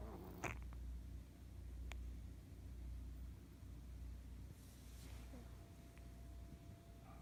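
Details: Sleeping fat ginger cat snoring with a soft, continuous low rumble and faint rhythmic breathing; a couple of brief clicks and light rustles in a quiet room.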